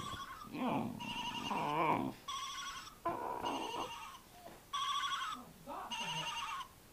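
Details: A Briard dog howling: long wavering howls with a trembling pitch alternate with bursts of steady, bell-like ringing electronic tones, the dog's voice rising and falling between the rings.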